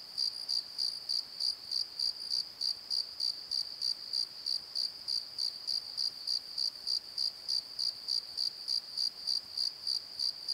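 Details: After dark in a valley bottom at Pozo, crickets sing a clean, high-pitched chirp pulsing regularly around three times per second, with no other sounds standing out.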